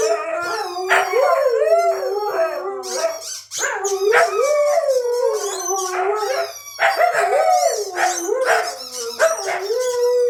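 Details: Siberian Huskies at home, howling lately whenever their squeaky toy sounds; looping, wavering howls in several bursts, each swooping up and down, with yips and short breaks between phrases.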